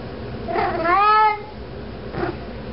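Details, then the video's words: Pet cat carrying a sock around the house gives one strong, rising-then-falling meow, followed by a shorter faint second meow a second later; quiet indoor background. "cat walking around with sock meowing"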